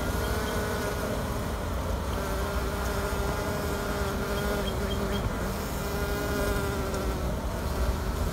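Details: Honey bee colony left queenless to rear new queens, a steady low hum filling the clip with faint higher tonal bands threading through it, continuous and even in loudness.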